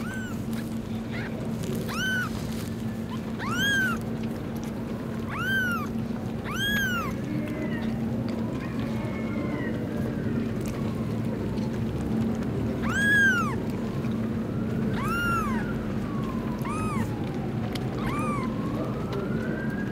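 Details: Newborn kittens try to suckle while their hungry mother cat eats food. Their high, arching mews come roughly ten times in quick, uneven bursts over a steady low hum, with a faint wavering tone in the background.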